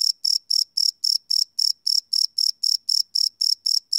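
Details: Crickets chirping at night, recorded live with a field recorder: loud, shrill buzzy pulses in a brisk, steady rhythm of nearly four chirps a second, no other animals or noise.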